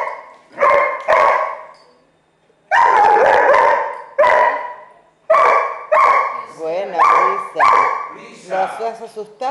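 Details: Female dog overwhelming a young pit bull puppy with barks after growing comfortable with it: loud harsh barks in quick bursts, some doubled, ending in wavering higher yips.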